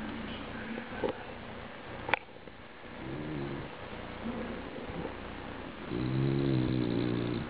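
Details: A bulldog snoring: low, rough breathing noise with a few clicks, ending in a louder buzzy, harmonic snore that swells and holds for about a second and a half.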